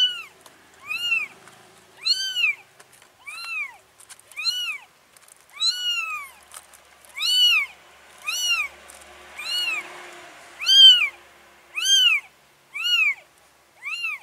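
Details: Mom cat moving four kittens into a new place; a steady series of about thirteen loud, arched meows, each rising and dropping, repeated roughly once a second with brief quiet gaps.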